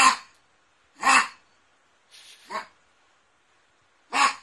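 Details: Barking poodle called Dandy, 2016 compilation: a single sharp bark opens, another follows a second later, then a softer hoarse sound leading into a shorter bark, and a final loud bark after a pause.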